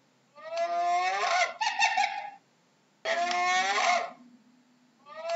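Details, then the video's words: Hyena giving two long, strained, harmonic cries that waver and rise, each ending in a burst of quick stuttering pulses, separated by a half-second pause, with a third cry starting at the end; low background hum. "How does a Hyena sounds"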